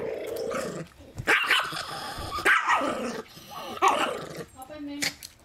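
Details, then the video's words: Family dog, a Chihuahua–Miniature Pinscher mix, growling over his beloved peanuts: uneven snarls and sharp snapping bursts repeated roughly every second, mixed with a human voice and light clicking. "Deranged peanut eating half breed chihuahua - mini pincher"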